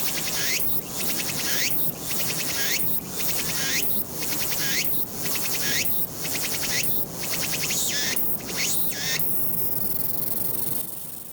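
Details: Walker's cicada song from 22 August 2021, captured on a Nikon Z7 camera: rhythmic shrill phrases of a swelling sweep then quick ticking pulses, about one per second, before the song stops near the end.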